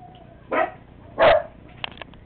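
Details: Dandie Dinmont Terrier puppies: two short, high yelping cries about half a second apart, then a few faint clicks and taps.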